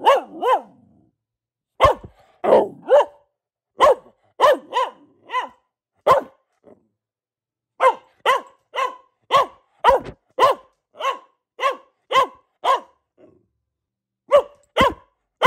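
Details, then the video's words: A female Boxer dog barking at home in long repeated runs of short, sharp, harmonic barks, often several per second, broken by brief pauses, with an occasional softer whine-like sound in between. "Relaxing Barking from our Dog - Luna the Boxer"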